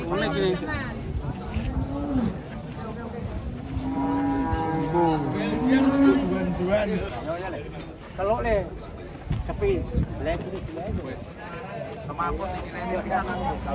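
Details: Giant big-bellied cattle being unloaded from a truck give long, low, drawn-out moos, several overlapping and wavering in pitch through the middle seconds, followed by shorter calls mixed with human voices and vehicle noise.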